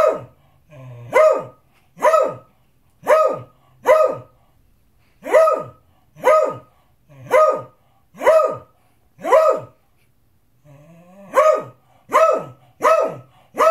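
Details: A beagle barks insistently, loud sharp barks coming in steady runs with a brief pause, demanding his dinner.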